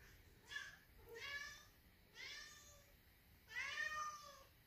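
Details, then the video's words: Siamese cat indoors, meowing loudly from downstairs to call its owner down; four drawn-out, harmonic meows, each rising then sliding down, spaced about a second apart, with faint room hush between them. "Loud Siamese Cat Meowing"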